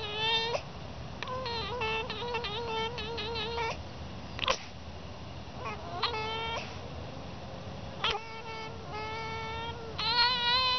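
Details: Domestic fox at play on a winter morning, giving drawn-out, nasal whining calls with a steady tone, several stuttering into rapid pulsed notes, interspersed with short sharp yips; a person answers briefly.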